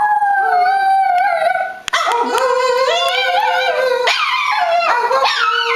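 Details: A Boston Terrier named Buddy, a male, "sings", howling in long, wavering tones that slide up and down.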